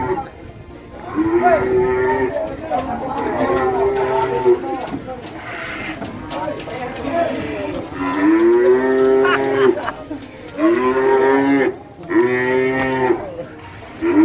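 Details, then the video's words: Agitated cattle at the Masbagik animal market in NTB, Indonesia, on a Friday, unloading area: loud, long drawn-out moos with wavering pitch, several in sequence with short gaps, faint voices and clatter behind. "SAPI GALAK‼️INI PENYEBAB SAPI NGAMUK DI PASAR"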